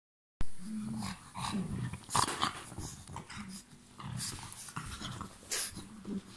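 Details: Pug named Mechan growling while playing and biting: low, rumbling growls in short bursts, strongest near the start and again around the middle and end, mixed with sharp clicks, snuffles and rustling handling noise.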